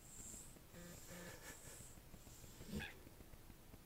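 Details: Newborn French Bulldog puppies from Anais and Hobbit's litter, born October 29, 2011: two short, thin squeaky whimpers close together about a second in, then quiet hiss and a brief soft knock near the end.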